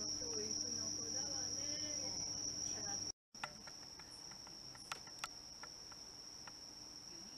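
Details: Bell cricket singing alongside other crickets in September 2023 while pet cats doze nearby: a steady, high, unbroken ringing tone runs through the whole stretch, with soft human voices at the start and a short cut near the middle.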